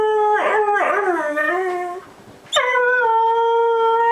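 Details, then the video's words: Dogs howling: two wavering, falling howls in the first two seconds, a short pause, then a steady, sustained, clear howl that holds an even pitch to the end. "OUÇA O SOM DE CACHORROS UIVANDO"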